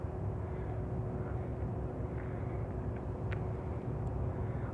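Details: Steady low engine or aircraft rumble fills an outdoor recording, with no animal calls heard.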